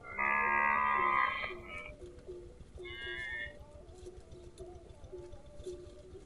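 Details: Cow out grazing lets out a loud, rich moo of over a second, then a softer, shorter call, with faint repeated low tonal clinks continuing in the background.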